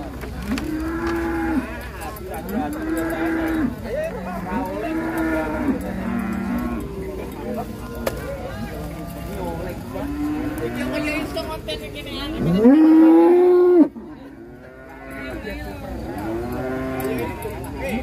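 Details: Agitated cattle, said to be frightened by crowds and lots of trucks: a run of short, arched moos roughly every one to two seconds, then one louder, longer bellow near the end, with music and voices underneath.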